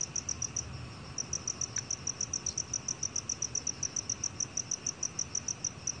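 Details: High, sharp pulses from a black cricket, National Institute of Biological Resources, 2020, run in an even rapid train with a short pause after the first half-second, then resume steadily over faint low background noise.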